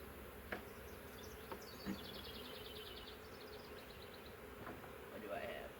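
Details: Huge swarm of honey bees caught in a swarm trap, from a wild woodland hive: continuous low droning hum under several sharp knocks from handling frames, with bright repeated bird chirps overhead and possibly a voice.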